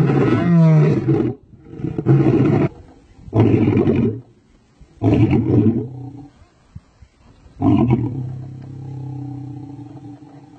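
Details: Male lion roaring: a drawn-out deep roar followed by a series of shorter coarse grunting roars spaced about a second apart, ending with a fainter trailing rumble.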